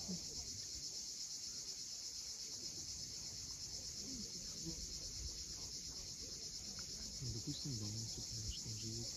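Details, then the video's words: Cicadas at sunset on the steep sea coast of Cape Fiolent, Crimea: a continuous, even, high-pitched buzzing drone that never pauses, with soft low rumbling of waves and faint scattered sounds underneath. "Cicadas at sunset."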